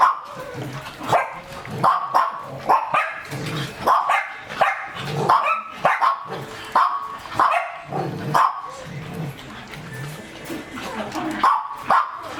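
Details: Working-line German Shepherd on a raw diet barking steadily, a long run of punchy, mid-pitched barks repeated about every half second, with some slightly deeper, rougher barks in between.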